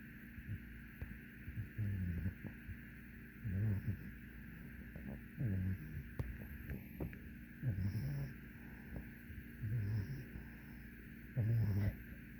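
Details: Sleeping French bulldog puppy, three and a half months old, female; soft low snores come in slow regular breaths roughly every two seconds, faint under a steady background hiss.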